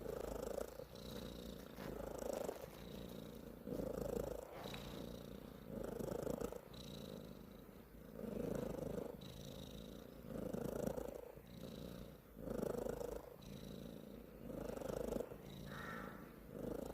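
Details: A cat makes an odd, low rumbling purr in rhythmic pulses, swelling roughly every one to two seconds. Thin high tones recur over a constant hissy background.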